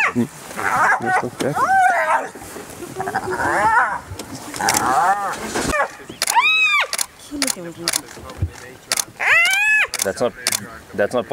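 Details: Spotted hyenas in a clan clash, an adult relentlessly attacking a young hyena: loud arched squeals rising and falling in pitch come in bursts, several repeated quickly near the end, with a man talking in the background.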